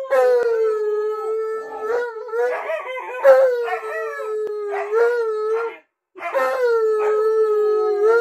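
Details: {'caption': 'Tonka the Alaskan Malamute howls indoors while refusing to leave the owner alone in the bathroom; long wavering howls with bright harmonics, held level then gently dipping, broken by yips and one short pause, laughter following.'}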